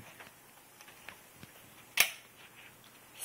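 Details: Quiet room with faint ticks, then one sharp camera-like snap about two seconds in; no animal voice.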